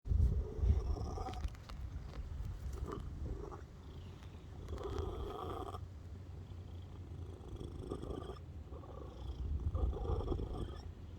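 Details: Domestic cat purring: a steady low rumble of rapid pulses, swelling louder in short phases every second or two, with a few brief stronger surges near the start.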